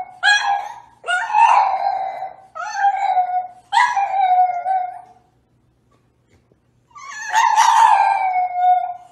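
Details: French Bulldog howling in a series of short, wavering cries about a second each, four in quick succession, a pause, then one longer drawn-out howl.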